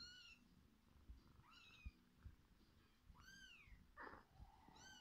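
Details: Mother cat feeding her kittens: high, arching mews with bright overtones, four calls in five seconds, each rising then falling, over soft rustling and thumps nearby.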